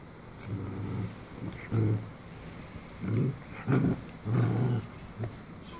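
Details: Two Cavalier King Charles Spaniels at play indoors, giving short low growling bursts, several in quick succession with brief pauses, over a faint background hiss.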